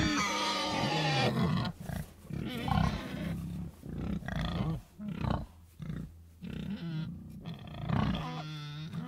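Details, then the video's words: Pigs producing irregular deep grunts and snorts in uneven bursts, with a couple of higher, whinier notes near the start and end. "Sonido de Cerdos"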